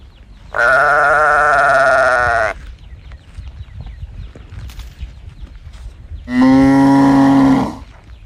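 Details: A calf bawls in search of its mother. Two long, drawn-out, tonal calls, the first about two seconds and the second shorter after a four-second pause. Faint bird chirps fill the gap.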